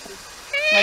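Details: Rescued tayra, described as happy, giving its normal puki-puki-puki sound: a short, bright, harmonic rising squeak that begins abruptly after quiet background and grows louder toward the end.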